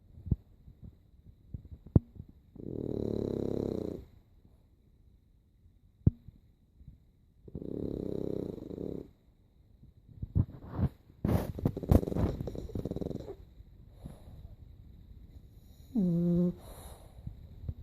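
A French Bulldog snores in low, rasping breaths that come roughly every five seconds.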